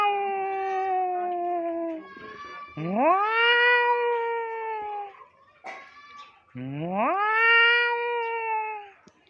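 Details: Stray cat making a fighting sound: long drawn-out yowls with rich harmonics, each rising from low into a sustained wavering wail lasting two to three seconds, three yowls in a row separated by short pauses.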